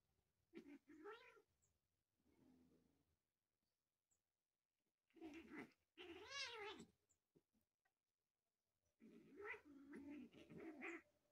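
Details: Pet cats at home; three bursts of drawn-out, wavering meows with rich harmonics, each lasting one to two seconds, separated by quiet gaps, with a softer low murmur between the first two.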